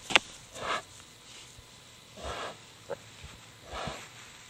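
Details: Tamworth sow Izzy, pasture-raised, farrowing five Tamworth-Duroc piglets on 5 October 2010 at the 3-Bell Ranch; breathy, hoarse exhalations come roughly every one and a half seconds, with a sharp click near the start and soft rustling between.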